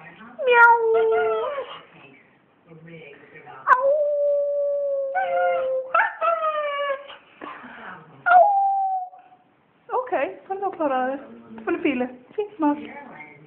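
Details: Small female pet dog howls in reply when her owner starts howling; short rising and falling tonal howls and yelping whines alternate with a long steady howl, broken by gaps, with a human voice mixed in.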